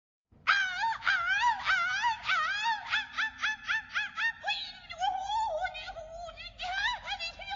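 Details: Lemur named Scarlett calling: a run of loud, tonal, harmonic-rich cries with rising then falling inflections, pulsed about four times per second, briefly softening and wavering midway before strong calls resume, in a quiet background.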